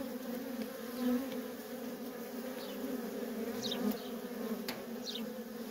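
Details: Continuous low buzzing of many worker honey bees at a feral colony, with nonstop traffic. An even, layered drone, one passing bee briefly louder, and occasional faint high descending chirps.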